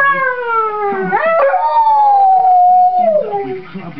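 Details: A pet dog 'talks' with a person in a long, rich, tonal howl. The howl falls, jumps upward with a yelp-like break, then holds and slowly descends. Faint low voices sound in the background.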